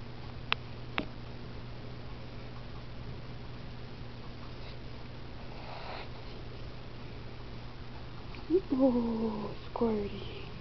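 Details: Pet cat Squirty, a female with a bossy personality, meows while being brushed indoors: after a quiet stretch with a couple of soft clicks, two short falling meows come close together near the end over a low room hum.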